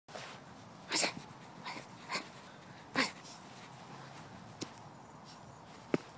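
A Lhasa Apso digging, heard as short, harsh scratching bursts with snuffly sniffs between them.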